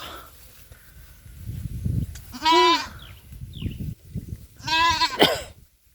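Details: Pet goat on a small goat farm, kept with a young kid feared bitten by a cobra: two loud, wavering nasal bleats about two and a half seconds apart, with a person talking and handling noises between.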